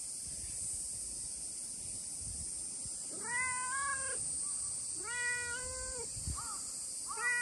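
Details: Friendly stray brown tabby-and-white cat calling out a greeting on a hot day: two sustained meows followed by short chirpy ones, over a loud continuous high-pitched buzz of cicada-like noise.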